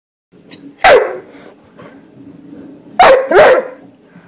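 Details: Doodle dog making new sounds: one sharp bark, a pause of about two seconds, then two quick barks close together, with a low steady hum underneath and praise spoken right after.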